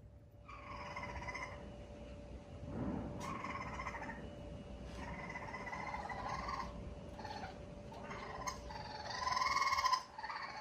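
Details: Family of rescue raccoons in 2020, a mother with three kits, staying close together while fireworks explode nearby: short bursts of harmonic chattering repeat irregularly, building to a louder trilling note near the end, over a constant low hum.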